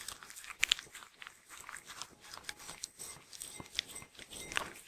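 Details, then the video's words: A Sheltie (Shetland Sheepdog) eating indoors. The recording is close-up, with irregular crisp crunches and clicks of chewing and soft rustling between bites. "Eating Sounds Sheltie Dog (Shetland Sheepdog)"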